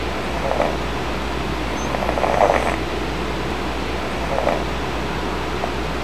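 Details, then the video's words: Sleeping kitten snoring soundly indoors while his restless older brother tries to nap nearby; soft, breathy, raspy snores come roughly every two seconds over a steady low hum like a fan. "Snoring kitten aggravates older brother"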